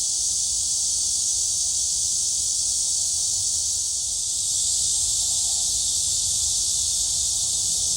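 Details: A high, even, hissing drone comes from cicadas singing at Gwangalli Beach, with a faint low rumble beneath. The chorus runs without gaps and grows slightly louder in the second half.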